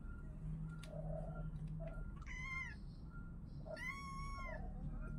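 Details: Kittens give two high, drawn-out meows, clear and harmonic, each rising then falling, more than a second apart, over a low steady hum and faint chirps.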